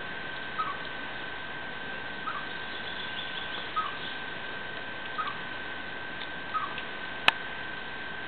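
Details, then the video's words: A male chipmunk living under a window gives short, sharp chirps about every second and a half, its mating song to call a female, unlike its usual whistles; an old refrigerator rattles in the background. "Брачная песня Бурундучка.AVI"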